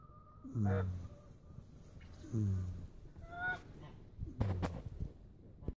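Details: A goat snoring: low, rough rasping breaths about every two seconds, each with faint nasal squeaky overtones, over a quiet steady background hiss.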